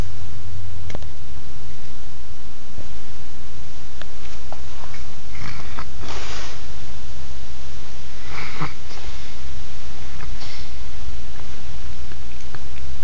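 A Maine Coon cat gives a few abrupt, hissing sneezes spaced a couple of seconds apart, with faint sniffing between them. A steady low hum runs underneath throughout.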